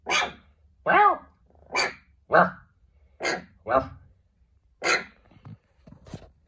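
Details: Small puppy "speaking" back to a person in quick yappy barks and yelps, roughly eight sharp bursts in six seconds, ending with a few softer little sounds.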